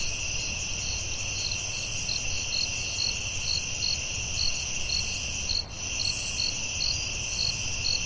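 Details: Forest crickets calling at night, a dense, unbroken high trill with quick pulsed chirps riding on top, plus faint low background hum and one brief dip in the chorus.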